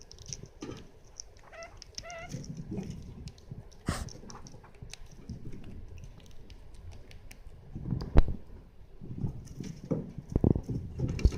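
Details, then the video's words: Pet degu getting angry when approached while eating, deliberately provoked indoors: a quick series of short, wavy, rising-and-falling squeaks early on, then scraping, rustling and sharp knocks against a noisy background. "エサをとられると思って怒るデグーの鳴き声 Angry degu"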